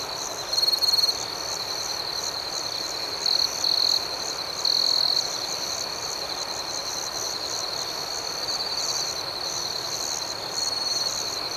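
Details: Nocturnal cricket chorus outdoors: an unbroken high trill with regular pulsing chirps above it, and several short, louder trilled bursts from a closer cricket in the first half.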